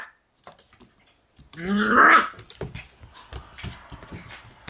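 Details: Two Shiba Inu brothers born 16 September, exploring the room for the first time as Yuu, born 12 July, teases them; a quiet start gives way to a loud whining growl, then light scuffling and soft noises indoors.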